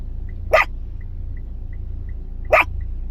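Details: Yorkshire Terrier pets Khao Niao and Som Tam giving two short, sharp single barks two seconds apart, with a soft periodic beep and low background hum.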